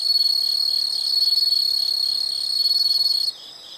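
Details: Insect sound for study and sleep relaxation: an intense, continuous high-pitched pulsing trill that stops abruptly after about three seconds, leaving faint chirping behind.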